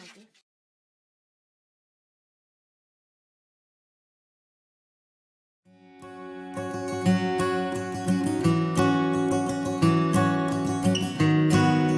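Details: Near silence for several seconds, then gentle plucked acoustic guitar music takes over.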